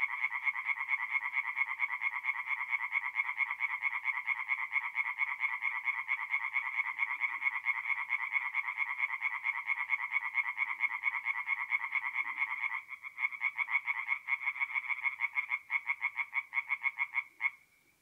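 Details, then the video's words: Singing tree frogs at a forest pond by night, mid-April, north-east Italy. A dense, continuous run of fast rasping croaks goes on, then turns more broken and staccato near the end before fading out. "relaxing forest pond by night with singing tree frogs"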